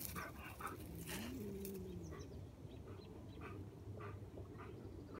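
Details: Bernese Mountain Dog playing with a cat; a soft whine rises then slides down early on, with faint snuffles and light knocks over a low steady rumble.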